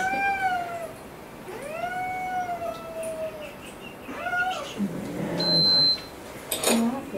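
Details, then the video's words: Boy the cat, angry and throwing a tantrum during a home vet visit for coughing: long drawn-out yowls with strong harmonics, the first two sliding downward, then a shorter wail, followed by handling noises and a brief beep indoors. "Cat throws tantrum at Vet"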